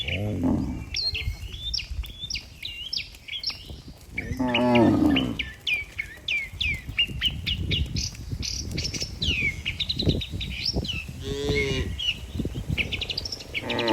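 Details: A healthy cattle herd walking together toward the barn, driven by a herdsman: one drawn-out, low, harmonic moo in the middle, a shorter lowing at the start, and many birds chirping and whistling throughout.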